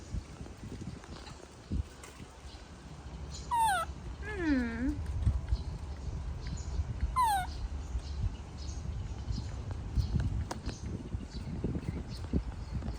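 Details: Baby monkey throwing a tantrum as its mother leaves: three loud, harmonic wailing cries that sweep downward, the middle one longest and dropping lowest, spaced a few seconds apart over low rumbling background noise and murmuring.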